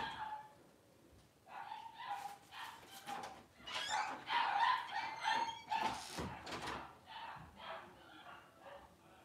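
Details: Cavalier King Charles Spaniel named Daisy giving birth to six puppies in two hours; thin, high whimpering squeals held at a fairly steady pitch, coming in uneven bursts several times a second, with breathy rustling noise between them.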